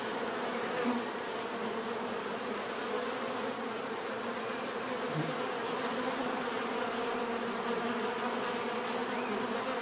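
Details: Numerous bees create an even humming drone, low banded tones with occasional single insects passing closer, one brief lower buzz near the third second, continuing without pause for ten seconds.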